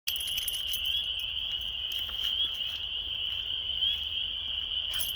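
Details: A March chorus of hundreds of frogs mating at a local park pond as weather warms before spring blends into one steady, high, shrill ringing trill.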